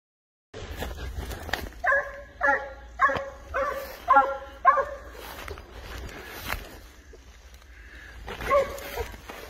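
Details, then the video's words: Spanish hound tracking wild boar, giving a run of five harmonic barks about half a second apart in the first half, then quieter noise and a faint bark near the end. "SABUESO ESPAÑOL, AL RASTREO DE JABALÍ"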